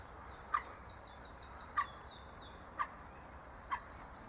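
A red fox gives short, hoarse barks, one about every second, over a steady high insect hum.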